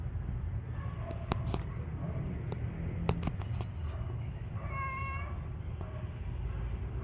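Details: Tiger, a hungry house cat asking for more food, gives one clear tonal meow of about half a second. Scattered clicks and knocks and a steady low rumble fill the background.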